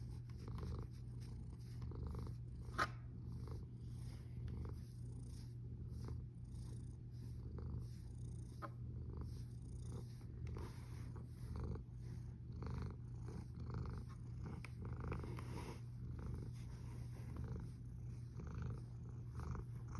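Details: Sleeping cat snoring, 1 August 2021 at 13:27. A deep, even rumble pulses with each breath over twenty seconds, and there are two sharp faint clicks near the start.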